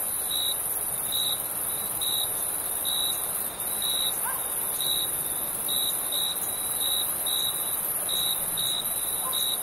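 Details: Crickets chirping at night in summer, short bright pulses repeated about once a second over a continuous high insect hiss, with a steady broadband night ambience underneath.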